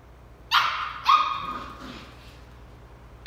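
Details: Sheltie puppy at play, barking at a tennis ball: two strong, ringing barks about half a second apart, the second trailing off into a fading whine, with another bark starting right at the end.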